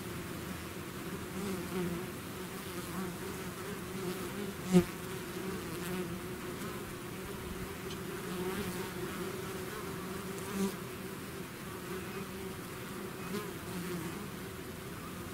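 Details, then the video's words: Honeybee swarm emerging from its hive, a dense continuous low drone with steady hum bands around two and four hundred, a few louder passing buzzes near five and eleven seconds. "bees therapy swarm natural buzzing sound"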